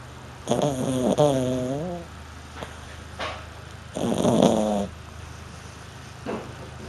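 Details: A French Bulldog snores loudly while sleeping, with rough, harmonic-rich rasping breaths.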